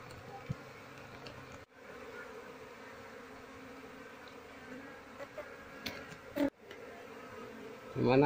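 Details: Honey bees of a colony being moved into a hive box while the queen is sought, Indonesia; a steady, dense, low buzzing hum continues throughout, with brief breaks and a louder burst at the end.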